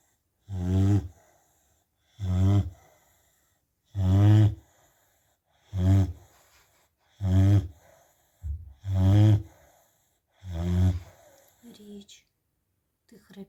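A Rottweiler snores loudly in deep, rumbling rasps, repeated steadily about every one and a half seconds.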